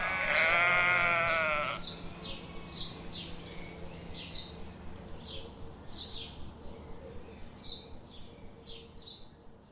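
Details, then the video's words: A single sheep gives one long, strong, quavering bleat lasting under two seconds, followed by a steady series of high, rapid chirping clicks repeated about four times a second. "Sheep, sound"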